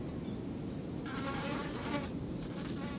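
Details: Flies buzzing periodically; a steady low hum thickens after the first second into a louder, wavering buzz with layered overtones, then eases slightly toward the end.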